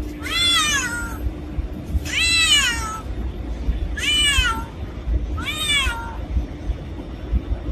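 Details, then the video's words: Four drawn-out cat meows, each rising then sliding down, evenly spaced about every one and a half seconds against a faint constant hum. "Black Cat Sound | Creepy Cats Meowing | Scary Cat Meowing | Black Cat Voice"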